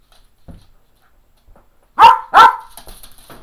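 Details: Two loud barks in quick succession from an aging Cairn Terrier, eleven and a half years old, asking for playtime indoors, followed by faint rustling and shuffling.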